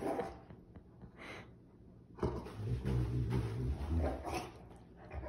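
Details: Indoor Rottweiler mid-tantrum, denied chocolate, producing a deep rumbling growl-moan that swells after two seconds and holds for several seconds, with rough, bark-like breaks and lighter whining at the start.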